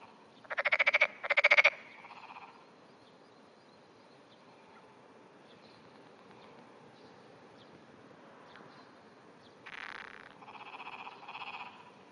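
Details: Japanese wrinkled frog calling from under grass at 5:30 AM on 16 June 2009, with small, trembling vibrations: two loud, rapid clacking pulse-trains, then quieter ones later.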